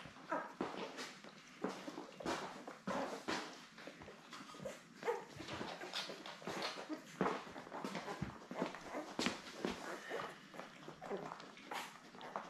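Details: Newborn Labrador Retriever puppies, seven born late May, with their mother in a puppy cam whelping setup indoors; short soft squeaky whimpers and mewling cries repeat irregularly throughout, several pups calling over one another.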